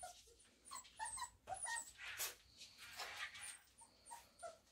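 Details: Kennel-raised Samoyed puppies, four weeks old from a Christmas litter, whimper and yip continuously in short overlapping bursts, several rapid squeaky cries each second, with breathy rustling in between.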